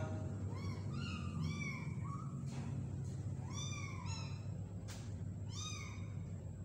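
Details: Small kitten being hand-fed, giving thin, high meows that rise and fall in arched shapes. They come in quick clusters of two or three, with short pauses between, over a steady low hum.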